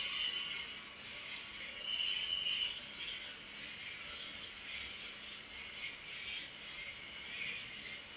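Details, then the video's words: Night cricket chorus for sleep and relaxation, a continuous shrill high trill that never pauses, beneath which fainter murmuring tones rise and fade now and then. "Cricket Sound| Sleep and Relaxation Nature Sound| Stars &Moon| Cricket Noise| Night Sound"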